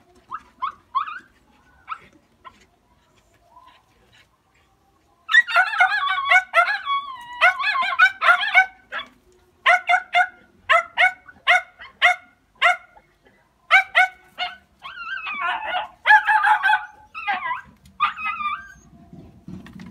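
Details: Jack Russell Terriers out hunting give excited harmonic barks and yelps, sparse at first, then a dense run of rapid overlapping barks in bursts with higher whining yelps, fading into low rumbling noise at the end.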